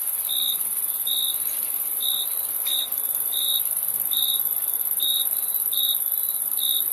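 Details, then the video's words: High, bright cricket chirps repeating at a steady pace, about nine in seven seconds with one brief gap. A continuous shrill high hiss fills the background. "Crickets Chirping Sound"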